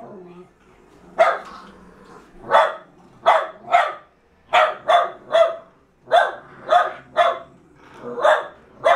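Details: Jack Russell Terriers struggling over a fallow deer's leg; sharp, mid-pitched barks come in irregular bursts, often doubled, with quiet gaps between volleys.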